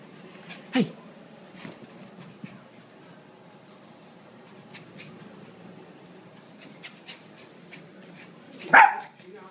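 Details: A pet Maltese, excited and happy to see its owner, gives two sharp barks, one near the start and a louder one near the end, with soft scuffling and a person talking quietly in between.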